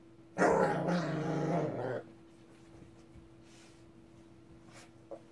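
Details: Angry Shih Tzu named Ssong growling: a steady, rough, low buzzing growl held for about one and a half seconds, then quiet room with a faint steady hum and a soft click near the end.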